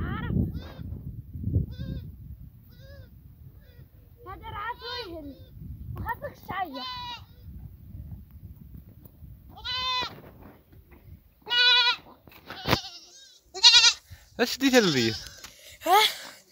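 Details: Goats from a herd bleating in a quieter setting: scattered soft bleats early, then loud, wavering, nasal cries grow more frequent toward the end, several animals calling in quick succession with a faint low rumble beneath.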